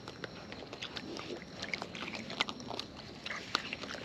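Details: Close-up wild raccoons feeding, their chewing heard as a steady patter of small wet clicks and crunches over a soft background hiss.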